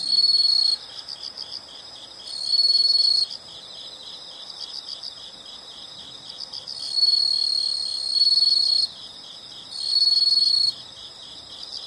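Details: Nature recording of insects, loud high buzzing trills about a second long alternating with a quieter rapidly pulsed chirping background, the loud bursts recurring at irregular intervals of two to four seconds.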